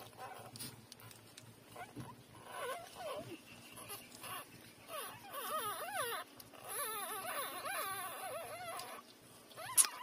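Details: Three-day-old newborn puppies nursing from their mother give thin, wavering squeaks and whimpers, short bending notes clustered in bursts, busiest in the second half, with soft rustling and suckling noise underneath.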